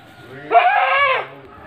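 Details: Goat in a village pen at Ngrambingan, Trenggalek, Indonesia, among three pregnant does and a young buck; a single drawn-out, quavering bleat lasting under a second over a low steady hum.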